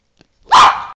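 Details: Single short, loud, harsh bark from a three-and-a-half-year-old male Boston Terrier, given right after his owner tells him to say goodbye.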